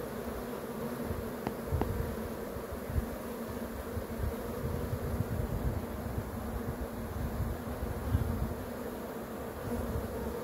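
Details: Honey bee swarm giving a steady, low droning hum of many wings, with a deep rumble beneath it and a couple of brief clicks early on.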